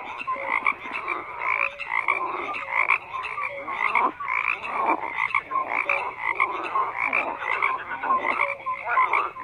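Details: Many frogs croaking together in a dense, continuous chorus; overlapping short nasal croaks and brief tonal notes stack up without pause, with no other sounds standing out.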